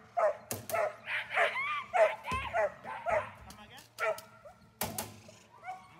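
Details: Protection-training German Shepherd named Dornan barks in a steady rapid rhythm, close to two barks a second, with loud sharp cracks and a person speaking in between.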